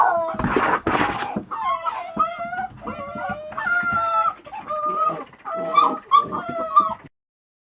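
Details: Female Presa Canario puppy almost two months old, after a couple of loud noisy bursts, producing a run of drawn-out tonal whines, each about half a second, repeated steadily with slight rising and falling pitch.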